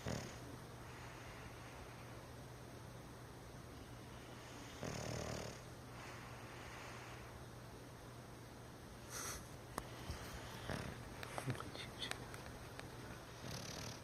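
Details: Athens, a sleeping bulldog, snores softly indoors with low, breathy rasps that swell into a couple of stronger snorts around the middle, over a steady electrical hum in a quiet room.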